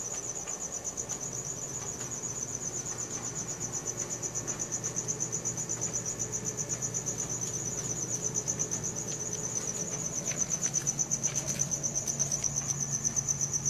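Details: Crickets chirping at night, phone-recorded on a Samsung Galaxy S4: a continuous high, evenly pulsed trill that grows slightly louder toward the end, above a low rumbling hum.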